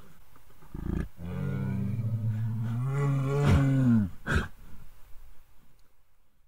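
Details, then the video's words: Himalayan brown bear roaring, India: a single long, deep, harmonic roar lasting about two and a half seconds, steady and then slightly rising, followed by a few short breathy bursts and quiet rustling. "Himalayan Brown Bear 🐻 - ROAR!"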